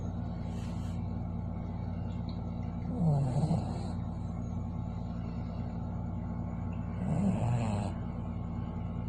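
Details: Kiwi, a sleeping dog, snoring: two low, breathy, rasping snores about four seconds apart, each lasting under a second, over a steady low background hum.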